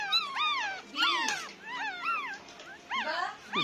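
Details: Nine-day-old Pomeranian puppies cry in thin, high, arching whimpers, several voices overlapping.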